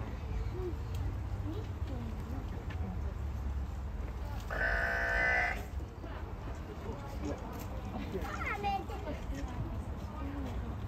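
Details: Wombats Yuki and Wine in the afternoon, talking to each other at their usual meeting place: one rough, harmonic, bleat-like call lasting about a second midway, with a fainter raspy note later over low steady background rumble.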